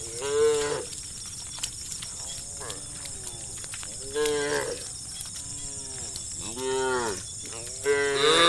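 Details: Hundreds of cows travelling along a road, calling the herd: repeated arching moos roughly every one to two seconds from several animals, some louder and strained, others faint and distant, with persistent hiss.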